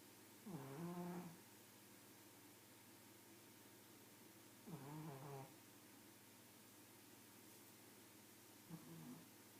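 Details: Pug snores in a slow rhythm: rough, vibrating inhalations roughly every four seconds, the first two strong and buzzy, the third softer and shorter, with faint hiss between breaths.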